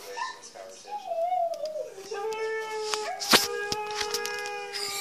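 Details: Indoors during play, Siberian Huskies Mishka and Laika, one 'talking' with a long tonal moan that rises, wavers, then drops to a steady lower tone, a short yelp-like break near the end and a loud knock.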